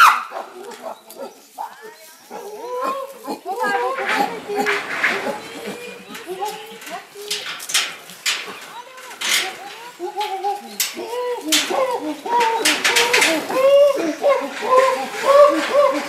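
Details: Chimpanzees of a mid-sized group in a sanctuary emerging through a tunnel into their enclosure, giving excited cries of joy; a dense chorus of repeated short hooting and screaming calls overlapping throughout, with bursts of shrill noise from several animals.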